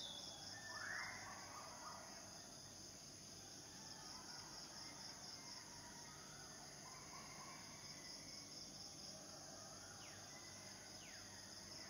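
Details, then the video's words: Continuous high, shrill buzzing of cicadas, the males' mate-attracting song, holds an even level from start to finish, with a few faint bird calls and brief chirps mixed in behind it. "Sleeping with Cicadidae"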